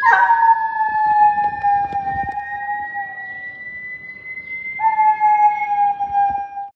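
A Doberman puppy gives a long, high, steady howl, then starts a second drawn-out howl.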